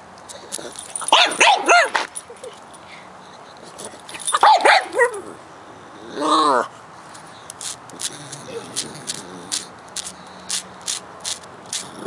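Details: Pet pug concerned about a bug he discovered trespassing in his yard, giving several loud harmonic yelping, whining outbursts around one to two seconds and four to five seconds, a shorter whine near six seconds, then quieter clicks and rustles.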